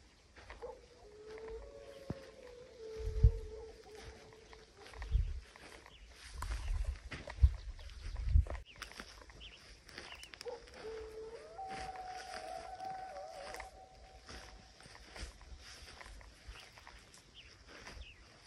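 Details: Mexican grey wolves howling in Arizona's Primitive Blue Range on 6.10.23: distant, long, steady tonal howls with several voices overlapping, one early chorus and another after ten seconds, among low thuds and handling noise.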